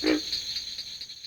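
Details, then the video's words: A pig frog, which has internal vocal sacs, gives a single short, low, grunting croak described as its mating call, followed by a steady high hiss. "Tree frog voices are very different in quality from those of the pig frog, which has internal vocal sacs."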